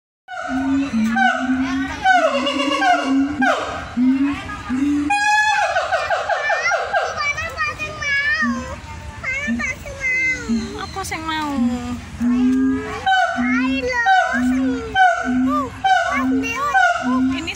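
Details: Siamang (Symphalangus syndactylus), call.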